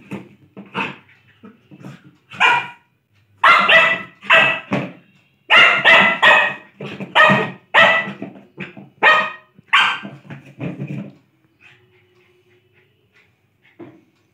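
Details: Lhasa Apso barking while playing: sharp, bright barks in irregular bursts, several close together in the middle then tapering to a few quiet sounds near the end.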